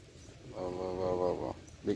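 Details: A steady, rough, low growl about one second long from stray dogs playing together. A short human voice follows at the end.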